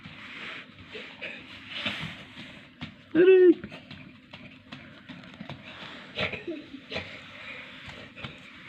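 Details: Two young kittens, one with eyes not yet open, kept indoors as new arrivals; a single short arched mew rises and falls once amid people talking in a small room.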